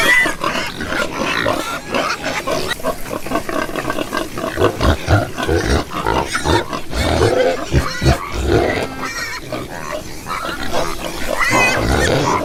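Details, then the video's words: Pigs grunt in irregular low bursts, with intermittent shrill squeals rising above them, busiest toward the middle and end. "Ouça o som dos porcos - Porco - porco roncando - som do porco"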